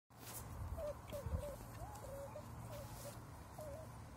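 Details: Cocker Spaniel puppies, August 2021, giving soft high whining squeaks, short wavering notes repeated about every half second over a low background hum.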